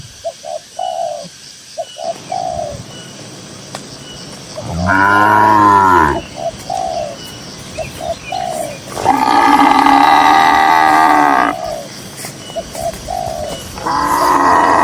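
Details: Cattle grazing in peaceful green farmland. Three loud, sustained moos sound several seconds apart, the middle one longest and steadiest. Between them, short, even cooing notes repeat steadily in the background.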